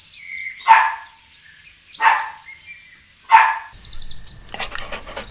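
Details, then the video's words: Puppy playing on green grass outdoors, barking three times at intervals of about 1.3 seconds, followed by a burst of high bird chirps and rustling noise at the end. "Dog Barking Sounds"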